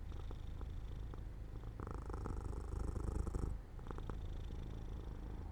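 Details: Purring of a pet cat dozing off near an open sunlit window. The rumble stays low and throbbing, swelling into a stronger, hissy stretch midway before easing back to a gentle, even purr.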